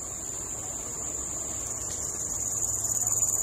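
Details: Small cricket calling at dusk-free hour as a nature park visit ends, a steady high-pitched shrill trill holding throughout, its pulses becoming louder and more distinctly rhythmic toward the end; faint low background rumble.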